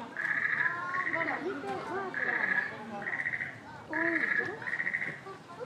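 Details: Chimpanzee named Pink Daiya, aged 13, at Noichi Zoo, Japan, March 2023: shrill sustained screams come in paired bursts roughly every second, with swooping lower whimpers between them.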